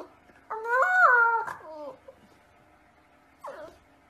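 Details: Siberian Husky, kept as a pet, making one drawn-out wavering whine of about a second that bends up then down, followed after a pause by a short, quieter second cry; the room is otherwise quiet.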